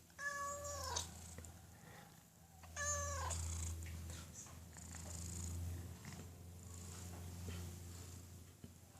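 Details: Domestic cat asking for food with an odd voice: two strained, nasal meows with strong harmonics, each about a second long, between stretches of low rumbling purr-like sound, indoors with quiet speech nearby.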